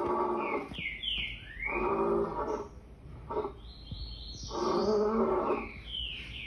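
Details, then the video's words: Rough, harmonic roars from a lion come in repeated bursts of about a second, the last one longest, while high sliding bird calls overlap throughout. "Lion sounds"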